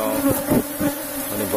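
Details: Asian honey bee colony in a cultivated hive box humming during a honey harvest, a low even drone with a few soft thuds from work on the hive.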